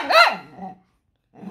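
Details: Six-year-old pet poodle indoors answering back with a sharp, arched bark that rises and falls, after its owner calls it ugly; a quieter rumbling tail follows and a short growly sound begins near the end.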